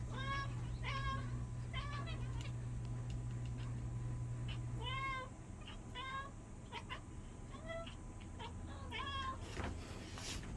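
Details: Indoor cat playing a hunting game with a wand toy calls over and over: short, bent, nasal meows and chirps every second or so, over a steady low hum and light tapping.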